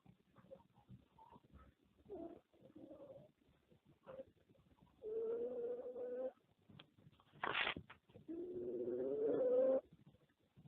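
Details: Small pet dog, ill with cancer, snoring while asleep in Mumbai in 2013, heard up close at nose and stomach: soft breathy puffs, then long nasal, tonal snores of one to two seconds, one sharp sniff between.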